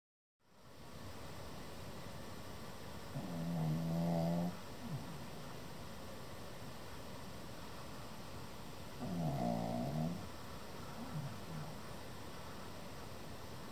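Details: A male Pekingese, nearly seven months old and sleeping soundly, snores in long, low, rattling breaths about every six seconds.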